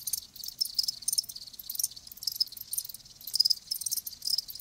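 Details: Live crickets give a high, hissing trill that swells and fades in irregular pulses, quieter and more blurred than a clean chirp rhythm.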